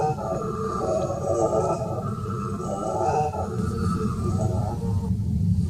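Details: Howler monkey (bugio) roaring in the forest at the Jardim Botânico, São Paulo, 19 July 2018: a continuous deep, droning roar with surging, pulsing swells about every second, heavy and unbroken throughout.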